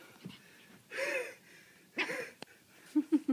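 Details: Puppy playing football, panting in two broad breathy bursts, then three short rising whimper-like yelps at the end; no clear barks, low steady hum behind.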